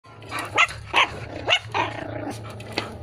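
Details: Dalmatian crossed with an Askal dog, giving a run of four short, sharp barks about every half second, then quieter rough sounds; a person speaks nearby.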